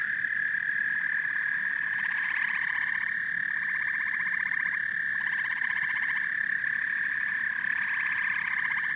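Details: Frogs and toads calling together as a steady, dense chorus, a continuous high trilling drone with pulsed, rattling bursts that swell and fade every few seconds, no other sounds.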